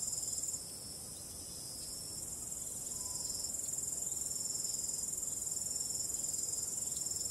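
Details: A starry-night cricket chorus in calm wind: shrill, fast-pulsing trills fade briefly after the first half second, then swell back to a steady, even chirr over soft background noise.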